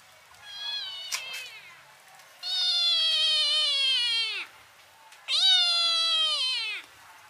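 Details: Kitten meowing loudly with a big open mouth. A short mew is followed by two long, strong meows of about two seconds each. Both sag downward in pitch at the end, with a brief quiet gap between them.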